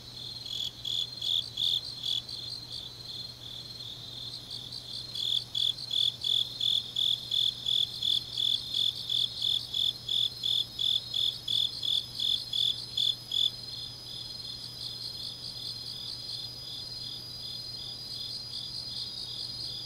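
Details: Grass insects at night in autumn, Changnyeong, South Gyeongsang, South Korea: a soft high trill runs throughout, while a nearer insect breaks in with loud, rapid chirps for about eight seconds before fading back into the chorus.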